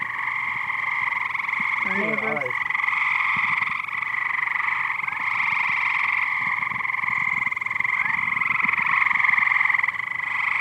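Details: Loud chorus of numerous large frogs in a backyard pool in Gas City: continuous droning, trilling mass of calls holding steady throughout, with a person's brief exclaimed voice near the start.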